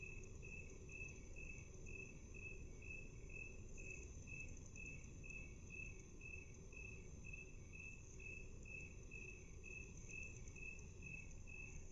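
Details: Half-speed recording of a chirping cricket, the evenly spaced bright pulses coming roughly twice a second without pause, set against a steady high hum and broad low-frequency noise.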